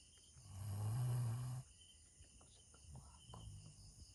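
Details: Bella, a sleeping Doberman Pinscher in a funny sleep position, lets out one long, deep, rumbling snore lasting about a second, followed by softer, quieter breathing noises.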